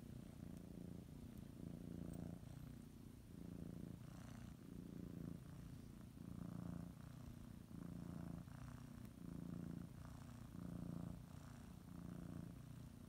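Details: Kneading housecat settling for a morning nap with a blanket in her mouth; low vibrating purr pulsing in repeated breath-length phases, about every one and a half seconds, quiet room otherwise.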